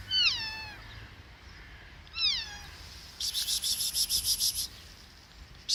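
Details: Street kitten in Kadikoy, Istanbul, curious and not hungry, gives two high, thin meows about two seconds apart, each sliding downward in pitch; afterwards a rapid pulsing insect-like chirping fills the background.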